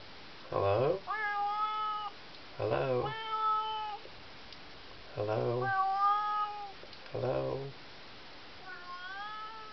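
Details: Pet cat meowing behind a bedroom door at night to call its owner; four long, tonal meows, some rising then sliding down, alternate with a person's low voice answering in short bursts, in a small indoor room.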